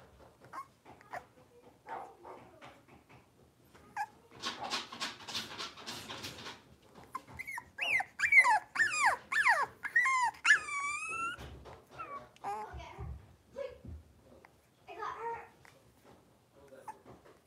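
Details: Blenheim Cavalier King Charles Spaniel puppies, five littermates wrestling in an indoor puppy pen; soft scattered noises, then a rough growling stretch, followed by a fast series of high squealing yips and whines.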